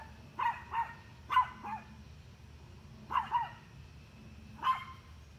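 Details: Dog barking at deer, giving rapid barks mostly in quick pairs, about seven in five seconds, loud and harsh against a soft low rumble.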